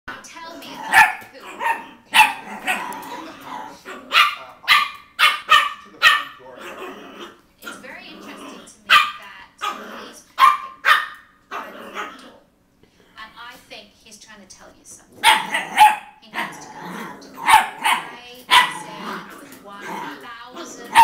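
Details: A female Toy Poodle playing with an Italian Greyhound gives sharp, high, yappy barks in quick bursts, with people talking in between.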